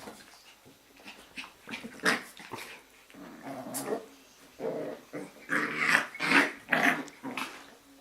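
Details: A litter of Jack Russell Terrier puppies in a kennel, romping through an evening play session, growl and snarl in rapid, ragged bursts that grow louder and harsher toward the end, some yelping sharply.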